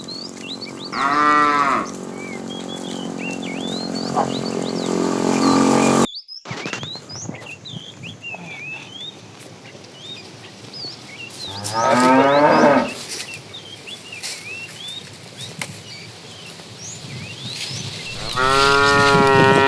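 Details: Tame cows roaming a road looking for food, part of a cow family: three drawn-out harmonic moos about five seconds apart, the last loud and rising, with frequent bird chirps in the background.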